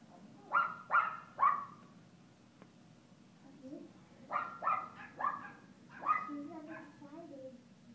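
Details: At Paws Pet Resorts Lake Forest doggy day care, playful Alaskan Klee Kai puppy Kooper lets out a run of three sharp yaps, a pause, then another quick series of four, with soft lower whines and indoor background noise.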